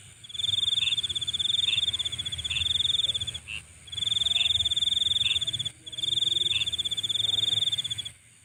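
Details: Night insects trill in high, pulsing bursts of about two seconds with short pauses between them, and lower chirps dotted across each burst. The sound fades away at the very end.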